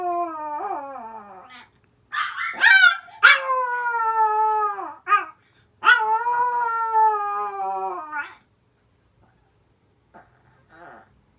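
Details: Older sister dog in a Japanese home with Yorkshire terriers and a Maltese, howling in answer to the younger dog's cry: drawn-out, wavering, harmonic howls in three long bursts, each sliding downward, then near silence with faint whimpers.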